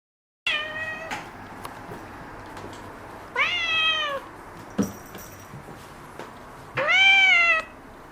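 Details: Young black-and-white tuxedo kitten indoors, clingy after spay surgery, meowing to be held: three clear harmonic meows, each rising then gently falling, spaced about three seconds apart over a quiet room background.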